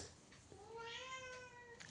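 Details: Pet cat inside a house, one long meow that rises slightly then levels off over more than a second, ending with a soft click and faint room noise.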